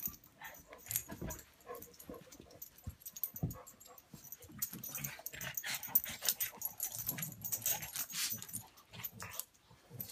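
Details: Buster the pug and Patton the English mastiff play-fighting: dense bursts of snorting, scuffling and rough growl-like noises, irregular and overlapping, with louder scrambles in the second half.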